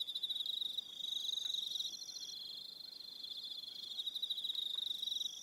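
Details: On Aroha Island in New Zealand, evening crickets keep up a shrill rapid trill that thins out midway and swells again, with a second higher trill starting and stopping above it.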